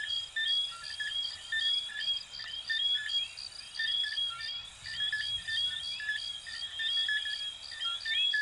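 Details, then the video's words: Coquí frogs of Venezuela and Puerto Rico in a dense chorus: many overlapping short whistled notes and quick upward-sweeping chirps, backed by a steady high pulsing buzz like insects, with no pause in the calling. "Sonidos de Ranitas de Venezuela 🇻🇪 y Puerto Rico 🇵🇷 "Coquí""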